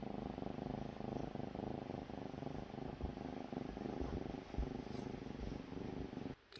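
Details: Sleeping kitten snoring at daybreak. It gives a dense, buzzing, rhythmic rumble repeated rapidly and evenly, and the sound cuts off abruptly at the very end.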